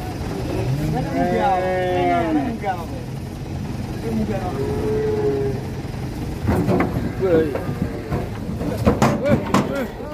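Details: A calf on the rampage lets out a long, wavering, harmonic bellow, then a shorter, flatter moo a few seconds later, amid vehicle rumble and human voices, followed by clattering knocks and bangs.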